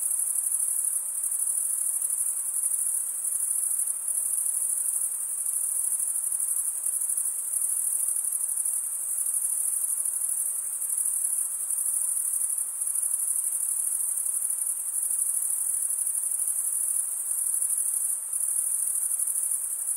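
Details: High, unbroken trilling from chirping crickets, made by males rasping one wing's edge along a comb-like toothed wing vein. The dense buzz keeps a constant pitch throughout, with only slight pulsing in loudness and nothing else audible.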